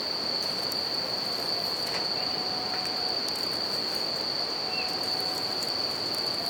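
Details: Continuous high-pitched ringing of a bell cricket by a river and campfire, the even trill laid over broad rushing water noise and a few faint fire crackles.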